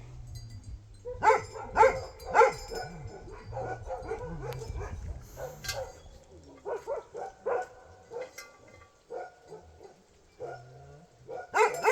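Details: Bhote Kukur in Nepal. A quick run of three loud barks comes early, followed by scattered softer barks and yips. A man talks to the dog in the background.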